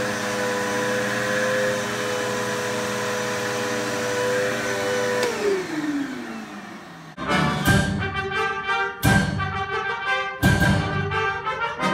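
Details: A vacuum cleaner's steady hum winds down, then bursts of brassy orchestral music follow, with no animal voice.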